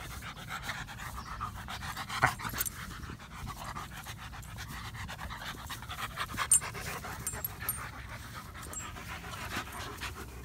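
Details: Odin the German Shepherd pants softly while asking to play, giving a long run of rapid, even, breathy huffs at low volume that continue without pause.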